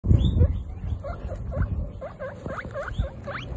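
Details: Baby guinea pigs from a group of female guinea pigs on their first outdoor picnic; a quick series of short, rising, whistle-like squeaks, repeated several times a second, with low thumps and handling noise at the start.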